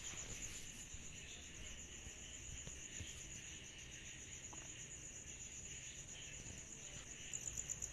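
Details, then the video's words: Cicadas chorusing on a summer night: a steady high, shrill pulsing buzz, with a fainter hissing band lower down and a soft low rumble beneath throughout. "Summer Night Cicadas Sound Effect"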